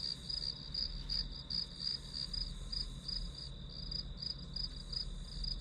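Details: Grass insect chorus used as white noise for studying. A rapid pulsed trill, close to three beats a second, rides above a continuous high ringing tone. A soft low rumble sits underneath.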